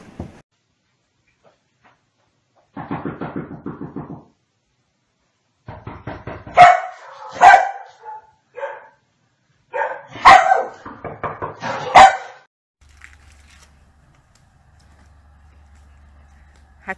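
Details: Komondor, a large Hungarian livestock guardian dog kept to protect sheep, giving a burst of loud, deep barks in the middle, several sharp barks in quick succession, with a short low grunting sound and quiet gaps before.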